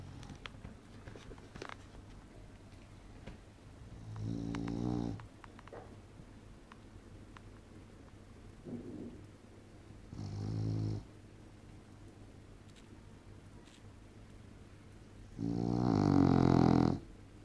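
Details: English bulldog female sleeping and snoring loudly indoors; long rasping snores with buzzy harmonics come at about six-second intervals, the last one loudest, with quiet low hum between breaths.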